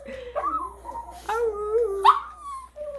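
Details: Two female dogs at a home grooming business, happy and excited to go home, one "singing" in long wavering whines that bend up and down, broken by short yelping rises, over a faint low hum.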